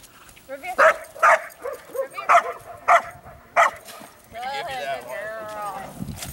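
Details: Belgian Malinois Shay, a female in IPO training, barking in a bark and hold exercise: five or six loud, sharp barks spaced about half a second apart, followed by a person speaking.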